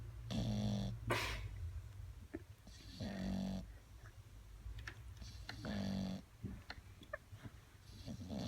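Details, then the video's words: Sleeping bulldog snoring in a room, loud raspy snorts repeating roughly every two to three seconds, each a harsh rattling breath with wheezy edges, over a constant low background hum. "Bulldog roncando"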